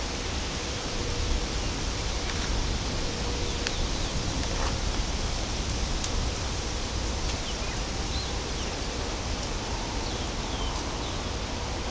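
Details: Steady broadband rushing noise, like wind or distant water, with faint rustling and no clear animal calls.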